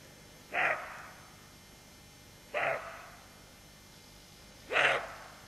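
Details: Alert roe deer mother with fawn: three gruff, clipped barks spaced roughly two seconds apart, the last one loudest. The setting is otherwise quiet.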